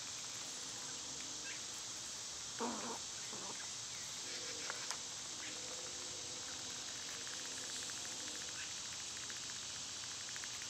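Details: Summer cicada chorus, a constant shrill buzzing wash sustained throughout, while a few brief lower chirps and scratchy rustles break through near the start and middle.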